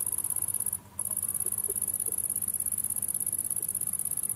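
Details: A close-up lesser marsh grasshopper (Chorthippus albomarginatus) gives a thin, high, rapidly pulsed buzz with one brief break, recorded in Deal, Kent, UK, on 26 August 2022.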